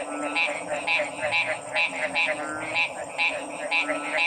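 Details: Loud, rasping frog calls repeated about twice a second in an even rhythm, each pulse a harsh burst standing out clearly above faint background hum.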